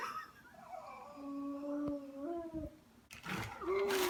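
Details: A frightened cat gives a long, wavering, moaning yowl, then a harsh burst and a higher wail. It freaked out at a person wearing a cat mask, making noises never heard from it before, and calmed soon after.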